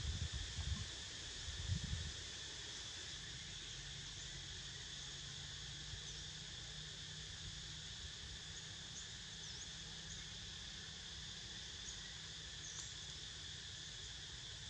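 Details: Cicadas in a steady, unbroken high buzzing drone with layered bands of sound; a few low thumps and rumbles in the first two seconds, then only the insect hum continues.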